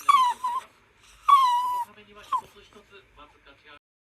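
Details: Toy Poodle Haru, anxious over the father's late return, vocalizes to its owner indoors: two drawn-out, gently falling whines, then a short yelp and fading soft grumbles.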